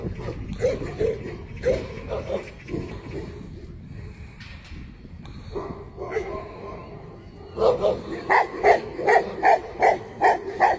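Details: Talking and muffled noise at first, then a Tibetan Mastiff breaks into a steady series of about eight loud barks, evenly spaced roughly every third of a second.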